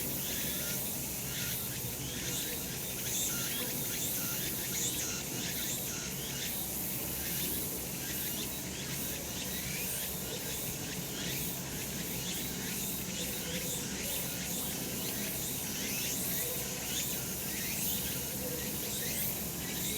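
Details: Cicadas calling on a summer mountain in a sunny spot: a dense, steady high-pitched hiss with pulsing bursts repeating throughout, over a low background rumble.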